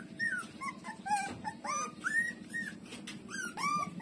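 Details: While breastfeeding from its mother, puppy Lulu, a street-dog pup, lets out short whiny squeaks that arc up and fall away, tightly spaced, above a continuous low rhythmic hum.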